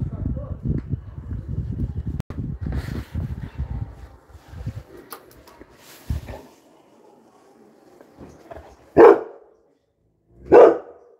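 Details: Labrador Retriever Coco barking at newcomers; a stretch of rumbling handling noise and speech gives way to two clear, loud barks about one and a half seconds apart near the end.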